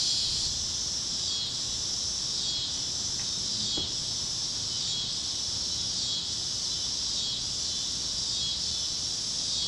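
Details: Sunset on the Kansas great plains with cicadas chirping in the fields: a high, unbroken buzzing wall of sound rising and falling in slow rhythmic surges, plus a faint brief tick partway through.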